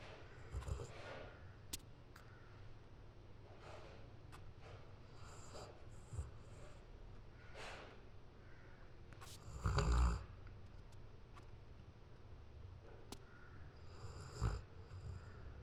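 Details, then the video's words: A sleeping golden retriever snoring: low, rumbling snorts come in irregular bursts, with a loud, drawn-out snore near ten seconds and another near the end. Quieter breathing fills the gaps in a calm indoor room. "Dog Snoring"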